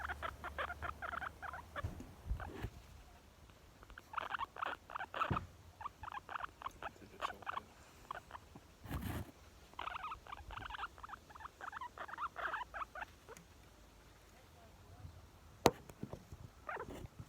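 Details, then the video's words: Very content young female guinea pig chattering in irregular groups of short squeaks separated by quiet gaps, with an occasional sharp knock or rustle. "Cute young guinea pig makes squeeky sounds"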